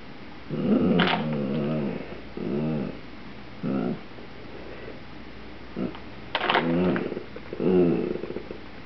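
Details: Pet Dachshund Rusty, obsessed with potato chip bags, growls to get a chip; short throaty growl bursts, some rising into whiny tones, repeat roughly every second amid crinkling bag sounds.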